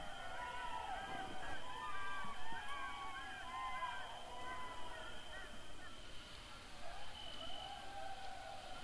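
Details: Several golden jackals wail together in wavering, rising and falling cries over a low background rumble, in the forests of the Rusca forest district, Tulcea, Dobrogea, Romania.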